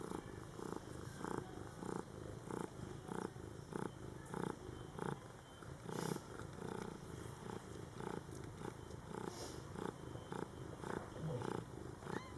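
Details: A mother cat tends her young Scottish Fold kittens, born July 22, 2012, indoors; continuous purring in regular rasping pulses about twice per second, with faint soft clicks and a brief high squeak near the end.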